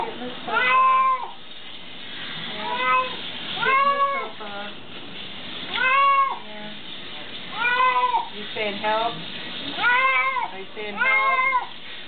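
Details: Lou, a pet cat, cries loudly while getting a bath, the cries sounding like "help"; drawn-out harmonic meows come in seven or eight bursts about every one to two seconds, with a nervous poodle nearby.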